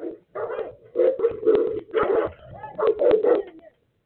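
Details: Three Boerboels provoked by two other dogs bark in a heated mix of deep barks and higher yelps that come in close, overlapping bursts with hardly a gap between them.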